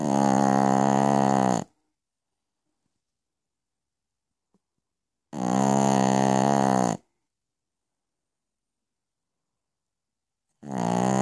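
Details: Piccolina, a Pekingese, snoring at night: long harmonic-rich snores of about a second and a half each, separated by roughly four seconds of silence.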